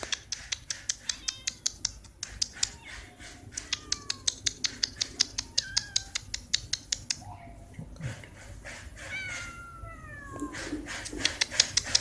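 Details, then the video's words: Orange cat stuck on a roof, giving drawn-out falling meows, clearest near the end, over a steady fast ticking of sharp clicks about two or three per second and faint background noise. "Orange Cat Stuck On Roof"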